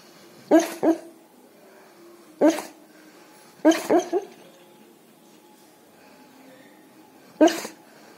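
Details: A sleeping K9 dog barks in its sleep on hearing a police car siren, giving short, low, muffled barks, some single and some in quick pairs or triplets.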